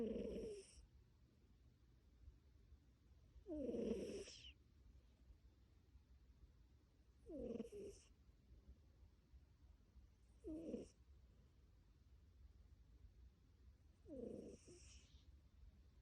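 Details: Sleeping tabby cat snoring and purring: breathy, rasping snores come roughly every three and a half seconds, five in all, separated by quiet low rumble.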